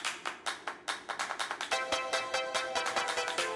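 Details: Upbeat electronic music with sharp rhythmic taps about two per second and bright sustained synth tones; no animal sounds.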